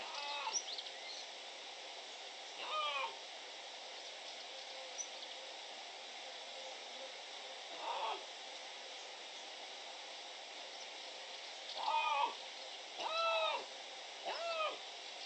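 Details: Young dispersing male Iberian lynx named Yute, son of Iñalbali, meowing to make himself noticed as two males claim Cerro Escribano as territory, 16 June 2023. Short arching harmonic meows come singly and in pairs at irregular intervals over a steady background hiss.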